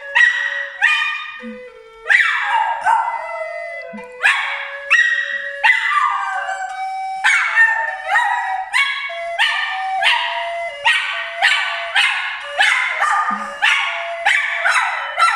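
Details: Dog howling in a long series of drawn-out, rich, wavering wails, each starting strong and sliding down before breaking off, repeated roughly every one and a half seconds with brief yips between.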